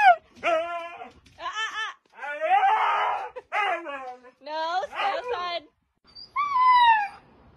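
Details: Husky in a funny domestic scene, giving a run of vocal, talking-style howls: wavering, strongly harmonic, rising and falling calls in bursts, ending with a longer smooth descending howl; a person speaks nearby.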